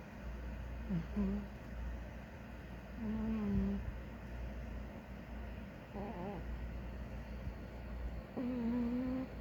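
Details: A big ginger domestic cat snores while sleeping, with soft, whistling nasal tones that return every couple of seconds.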